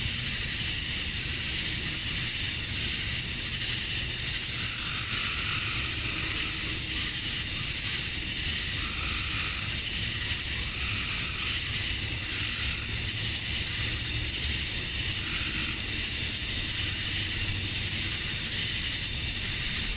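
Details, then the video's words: Male cicadas at summer dusk in Georgia, USA, chirping to attract females; a dense, unbroken high-pitched buzzing drone holds steady at one even level throughout, with faint low rumble beneath. "Cicadas at Dusk, Summer Night"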